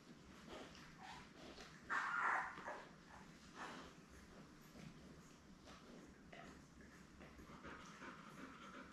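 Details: Newborn Labrador Retriever puppies, a litter of seven born May 24, 2021, lie with their mother Belle on an indoor puppy cam. A single short, high squeal rises two seconds in over a steady low hum and soft rustling.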